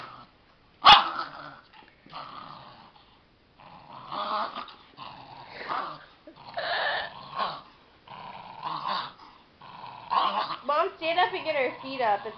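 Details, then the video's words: A 13-year-old female dachshund growling during a game of tug of war, a continuous rough, rumbling growl in uneven bursts with brief pauses, human voices occasionally over it. "Ferocious weenie dog!"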